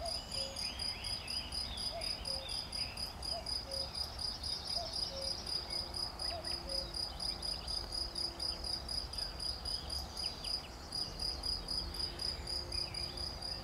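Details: Recorded 11 June 2020, a cricket gives a sustained, sharply high, pulsing chirp with a regular throb, with a brief break near the end and occasional faint low tonal notes in the background.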